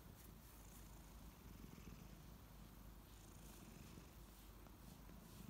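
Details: Kittens Ariel and Bear wake up in the morning with big purrs; a steady deep purring rumble runs throughout, with faint hissy licking sounds above it.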